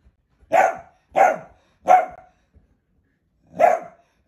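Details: Dachshund, a sausage dog kept as a pet, giving four sharp barks, three in quick succession about every 0.7 seconds, then a pause before a final bark; quiet room with no other sounds.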